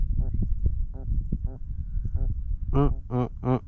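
A fish gives a few loud, buzzy croaking grunts in quick succession while a man speaks nearby.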